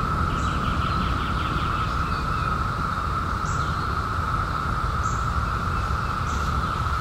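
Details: Cicadas out in 2021 after a 17-year hiding keep up a flat, steady droning chorus; a short burst of fast bird trills early on and a few isolated high chips follow, all over low ambient noise.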